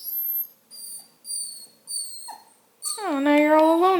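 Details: Redbone Coonhound puppy indoors, whining in high thin tones in three drawn-out bursts, then a louder, lower drawn whimper with rich harmonics sliding down at the end.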